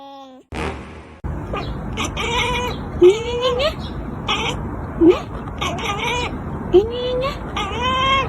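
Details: Domestic cat producing odd, rising, drawn-out meows, three clear upward-sweeping calls roughly every two seconds, over steady background noise and some human voice.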